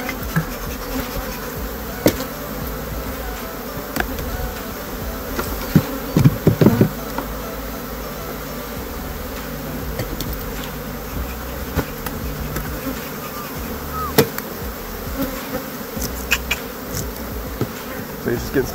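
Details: Western honey bees buzzing steadily as a beekeeper smokes and shakes a brood box in Florida during the orange blossom flow, before fitting a queen excluder; low continuous hum with scattered knocks and clatter of hive equipment.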